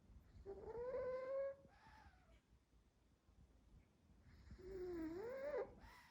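A Pekingese dog snores in two drawn-out, nasal, whistling breaths.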